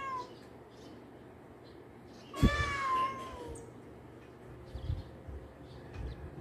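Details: Domestic cat, one of two housemates play fighting indoors: a single loud, harmonic meow falling in pitch, lasting about a second, over low background rumble and scattered small noises.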